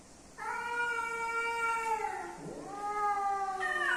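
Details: A male and female house cat come together, and one holds a steady, nasal wail for almost two seconds. The pitch drops briefly, then the wail resumes and rises sharply at the end.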